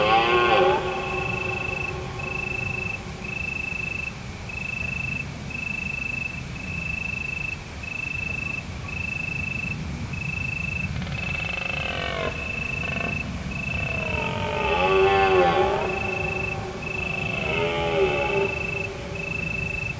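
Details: Deer roaring in the hills of Provence on a full-moon autumn night. A brief bellow opens the clip, then three wavering, groaning calls follow after about ten seconds, each one to two seconds long, while crickets chirp steadily throughout.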